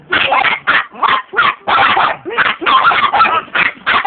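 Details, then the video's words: Chihuahua barking nonstop, a rapid run of sharp, high yappy barks, about a dozen in four seconds, each short and harsh with barely a gap between them. "Chihuahua barkin"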